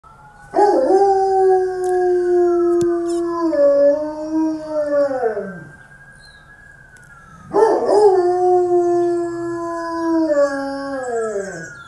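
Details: Dobermann howling at sirens: two long drawn-out howls, each starting high and wavering before sliding down in pitch and fading, separated by a short pause.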